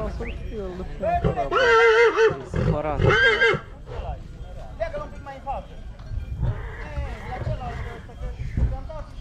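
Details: Heavy draught stallion kept for breeding, from Oradea, Romania: a loud, quavering whinny in two close bursts near the start, followed by people talking, hoof clatter and background music.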